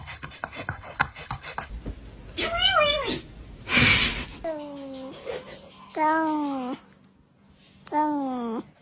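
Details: Cute cats making noise indoors: four drawn-out, arching meows that rise then fall, spaced a second or two apart, with a short breathy rasp between them, some soft clicking at the start and quiet pauses between calls.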